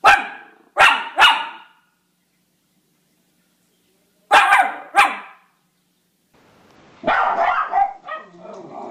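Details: Miniature Schnauzer barking in short sharp bursts: two quick barks near the start, a pair more after a silent gap, then a rougher, ragged run of barks at the end.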